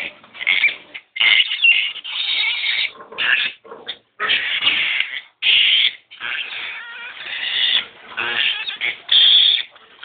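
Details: Pig during a sow's labour at Boso Boso: harsh, high squealing cries in repeated bursts of about one second, separated by short pauses, with sharp strained peaks throughout.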